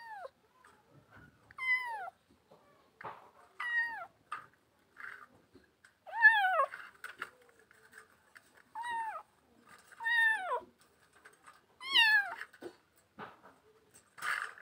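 Kittens give high, thin meows that fall in pitch, repeated every one to two seconds.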